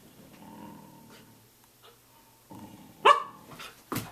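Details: Samoyed at 6:00 a.m.: a quiet low grumbling start with a faint whine, then one loud sharp bark followed by two softer, shorter bark-like bursts.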